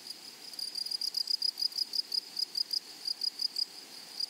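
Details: Grasshoppers in a flowery meadow or prairie, a high, dry chirping pulse repeated several times a second in short irregular bursts, with a faint steady hiss of background insects.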